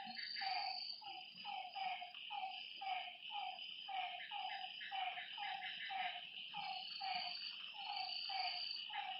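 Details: Frogs call at night by a lake, a regular run of short, twangy croaks about once per second over a continuous high insect drone that fills the background.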